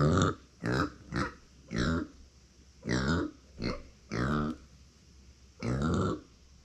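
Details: Pet micro pig Uni, female, born September 2020, crying because no one is near her, in a small indoor room: a rapid run of eight grunting squeals with rich harmonics, some short and some drawn out, spaced irregularly.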